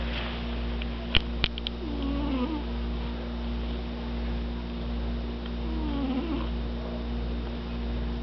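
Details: Loud snoring from a sleeping pet cat, a deep continuous rumble with faint whistling glides on slow breaths about four seconds apart, a few quick clicks early on.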